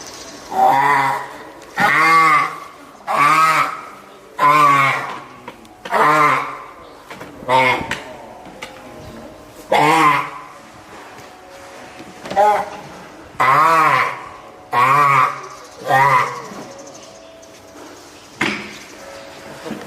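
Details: Female spotted seal pup, three weeks old and hand-reared at Oga Aquarium, Japan, calls loudly and repeatedly, apparently hungry or summoning its keeper. About a dozen hoarse, wavering bleats come in a steady series, each under a second long.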